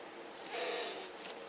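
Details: Elongated tortoise mating following a week of courtship: one brief, airy wheeze with a high, thin squeal in it, lasting under half a second, in a quiet room with low background hiss.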